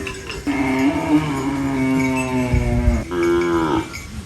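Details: Cow eating banana leaves on a rural farm gives a long, drawn-out low moo that slowly falls in pitch, then a shorter second moo that rises and dips near the end.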